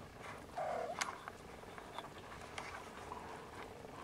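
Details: Siamese Snowshoe kittens nursing indoors: one brief, thin mew gently rising and falling at about half a second, then soft clicks and rustling from the feeding litter against a quiet room background.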